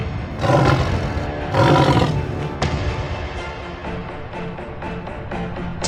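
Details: A tiger (Panthera tigris) gives deep, rumbling roars in two long bursts over background music.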